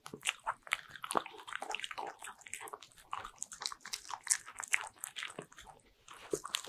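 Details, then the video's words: Pet Bichon Frise crunching butter-ring cookies in a small room, rapid uneven bites about twice a second with crackly chewing noises, close and clear. "강아지가 너무 잘먹는 버터링!!｜ASMR 리얼사운드"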